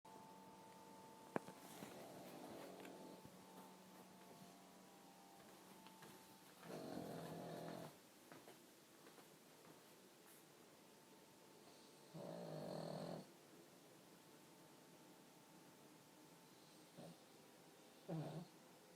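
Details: Sleeping pug snoring indoors, compared to a human: quiet background broken by a few longer rasping snore bursts about every five seconds, each lasting around a second.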